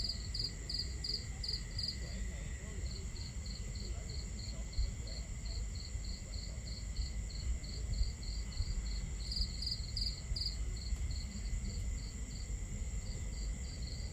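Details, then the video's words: Starry-night camping ambience with crickets: a long run of regular high-pitched chirps, with louder clustered bursts near the beginning and again around ten seconds, beneath which water flows and a fire crackles steadily. "Crackling Fire, Crickets, Water Sounds"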